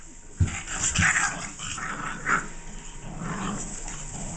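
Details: Six-week-old Catahoula Leopard Dog puppies making short, scattered yelps and low grunting growls over a steady background hiss, with a louder burst near the start and another a couple of seconds later.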